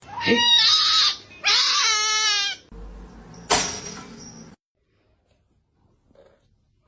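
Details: Kitten giving two loud, drawn-out, strained meows back to back, then a brief shrill squeak and a fading murmur before quiet in an indoor room.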